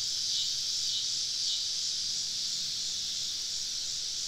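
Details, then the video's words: Cicadas surrounding a campsite deep in the woods on a southern summer evening: a steady, loud, high buzzing wash without breaks, a few faint brief chirps riding on top early in the clip. "Southern Evening Summer Cicada Symphony"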